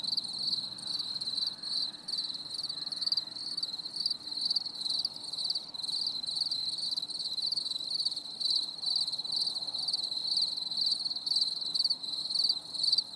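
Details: A chorus of crickets on a stormy summer evening trills continuously, a high, shimmering chirping with pulses running over one another, above a faint low rumble; nothing else stands out.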